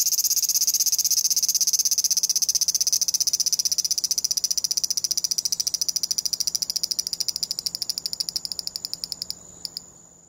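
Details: Captured with a compact digital camera, a large brown cicada shifts from a continuous shrill grinding drone into a rapid string of separate short buzzy pulses, the stuttering form given when it moves. The pulses fade and stop near the end.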